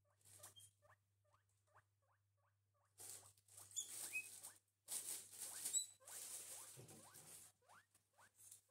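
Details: Two pet guinea pigs, Gerti and Walter, eating breakfast: a run of short rising squeaks repeated quickly, then louder rustling and crunching of food mixed with further upward-sweeping squeaks.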